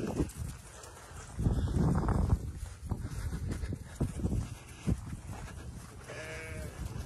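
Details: Sheep in a round pen being worked by Lennon, a five-month-old Border Collie pup, during training on flanks and balancing the sheep to the handler; scuffling hooves and rustling movement, then one short wavering bleat near the end.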